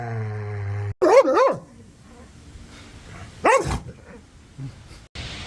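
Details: Angry, aggressive dogs barking toward the camera or an off-screen sound: a quick double bark, then a single sharp bark, with a low droning tone before and noise bursts after.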